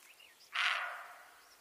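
A roe deer gives a single hoarse, harsh bark of warning in quiet outdoor surroundings.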